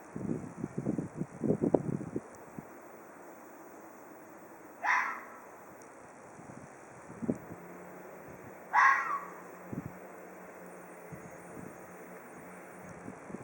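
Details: Ezo red fox calling in a hoarse voice: two short rasping, breathy bursts about four seconds apart, each sliding downward, with faint low rustling and thumps between them.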